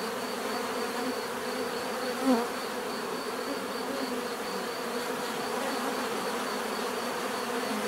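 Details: Bees buzzing in a dense, steady drone of many overlapping wingbeats, with a faint thin tone held high above throughout and one brief louder pass just after two seconds.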